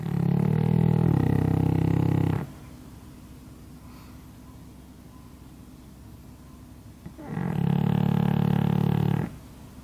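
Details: Sleeping pug lying under a hanger rack gives two loud, rasping snores roughly five seconds apart, each a buzzy low rattle of about two seconds, with quiet breathing between.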